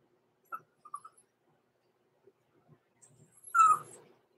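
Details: Overnight in the puppy pen, one of two six-week-old blenheim Cavalier King Charles Spaniel puppies, Roman and Blue, born November 14, 2022: soft scattered squeaks and small rustles, then a louder short falling whine near the end.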